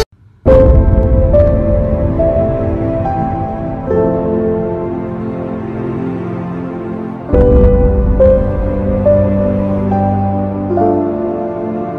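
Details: Sustained, dark ambient music with stepped sliding tones and no animal voices. A low drone underlies the melody, which restarts after a brief swell midway.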